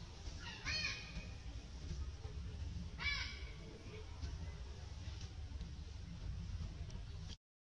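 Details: A baby monkey stuck in the fork of a tree gives two shrill, wavering squeals a few seconds apart, calling for its mother to rescue it.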